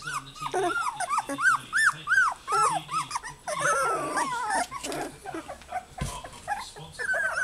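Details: Goldendoodle pups that have found their voices call for their mother with a string of bright arched yips, then a messier stretch of whimpers and rough growly squeals, plus a brief knock near the end.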